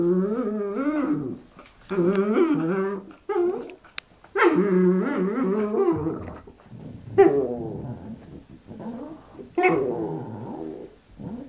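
A dog gives long, wavering, revving moans and whines, rising and falling like an engine.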